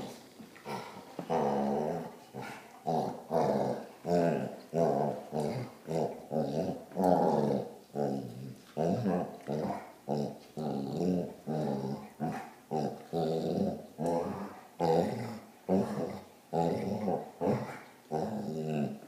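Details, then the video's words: Basset hound on a short rant indoors: a continuous run of throaty, harmonic grumbling yowls mixed with growls, pulsing about twice a second for nearly twenty seconds, rising and falling in pitch, no other sounds. "Basset Rant"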